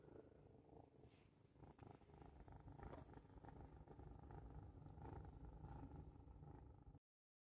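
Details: Cat purring contentedly while watching birds out the window. The low, pulsing rumble keeps going without a pause and grows slightly louder in the second half before cutting off abruptly.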